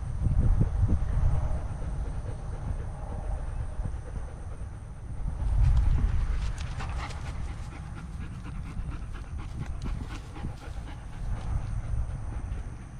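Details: Curious German Shepherd meeting a turtle during a morning walk, breathing in steady fast pants, roughly four breathy puffs each second, with low rumble throughout and a louder surge near the start and middle.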